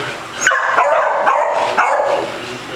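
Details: At a dog day care in Las Vegas, Nevada, a playful Basset Hound gives three or four drawn-out, harmonic baying barks in quick succession, with a soft human voice behind.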